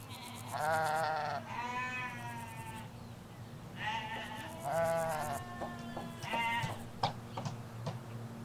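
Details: Ewes and lambs in a Hampshire countryside field, recorded from a hedge away from the road: several wavering, harmonic bleats of varied pitch follow one another, some high lamb-like, some lower, over a steady low rumble of distant traffic.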